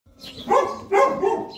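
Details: Boerboel, South African Mastiff, one of the pair Enzo and Diva living in Egypt, barking during play; two deep, full barks about half a second apart, then a softer trailing one.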